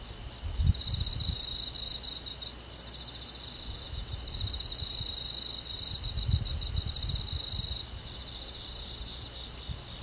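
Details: Night chorus of crickets and other forest insects in summer countryside, a dense ringing trill with rapid pulses running nonstop, over occasional low muffled bumps and faint rumbling noise.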